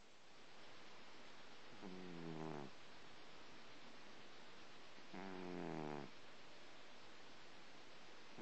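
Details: Pet male cat snoring after his breakfast: two low, harmonic rasping snores about three seconds apart, each lasting under a second, over a quiet steady background hiss.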